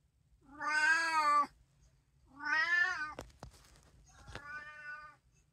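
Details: Domestic cat from a three-cat household including tabby, Munchkin and Abyssinian, filmed at home on 15 April 2024; two loud, wavering, slightly plaintive meows followed by a softer third, with sharp clicks and taps between.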